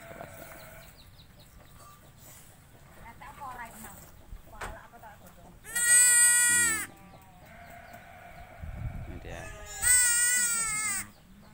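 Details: Sheep kept as farm livestock, where ewes give birth to several young. Two loud, long, wavering bleats arrive about four seconds apart, each with a strained, quavering tone, between stretches of quiet murmured talk and faint clucking.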